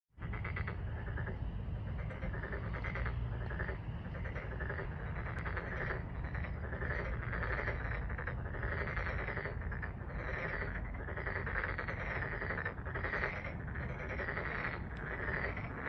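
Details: Dense chorus of many frogs at Deokjin Park in Jeonju, Korea: rapid rattling croaks pulse continuously over a steady low rumble, with no pauses across the whole stretch.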